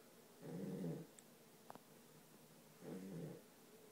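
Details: Sleeping dog Charlie gives two rough, buzzy snores about two seconds apart, separated by a brief faint click, in a quiet room.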